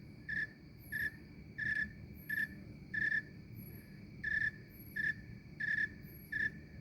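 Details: A snowy tree cricket in Maine in summer gives short, clear chirps in a steady, even rhythm, over a faint low rumble.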